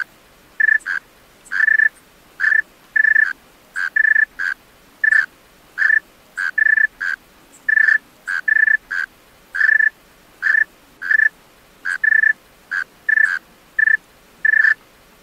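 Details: Tree cricket male calling at night, giving a steady series of short, ringing, pure-toned chirps, roughly one to two per second, some doubled, against near silence.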